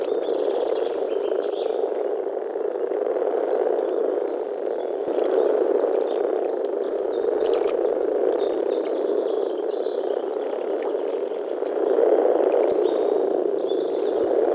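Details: Breeding gathering of European common frogs in a small forest pond in early spring; many males grumble together, making a steady low rolling drone with rapid overlapping pulses that swells slightly near the end.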